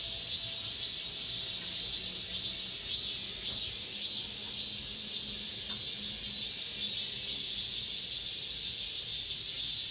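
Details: End-of-summer cicadas calling inside an apartment complex, a thick high-pitched buzzing that never stops, throbbing softly in strength over ten seconds, with faint low rumbles and a few brief clicks in the background.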